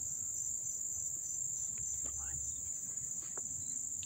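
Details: Crickets chirp up close in a steady, high-pitched, unbroken shimmer of sound in Dobbs Ferry, New York, on August 1, 2014.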